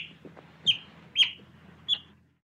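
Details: An otter gives three clipped, bright high-pitched chirps about half a second apart, then falls silent.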